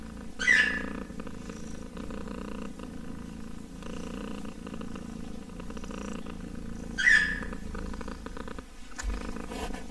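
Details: Steady kitten purr, a soft vibrating drone pulsing with its breathing, interrupted twice by short high chirp-like squeaks about six seconds apart, plus a faint thump at the end.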